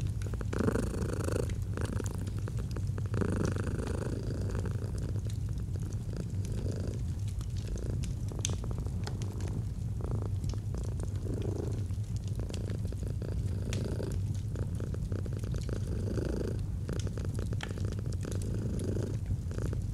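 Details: Long stretch of a domestic cat's soothing purr next to a fireplace in autumn: low, even rumble rising and falling with each breath roughly every two to three seconds, punctuated by frequent wood crackles.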